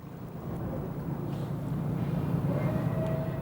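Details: Steady low engine or boat rumble with broadband noise and a faint thin tone, with no animal sound.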